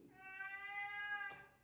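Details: Domestic cat meowing while trying to catch a gecko. One drawn-out, steady, tonal meow holds for over a second. It ends in a sharp click, and a woman's voice is heard around it.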